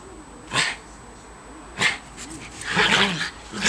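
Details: A pair of schipperkes at play in new December 2008 snow give two short, clipped barks about a second apart, then a busier run of yipping, harmonic calls toward the end.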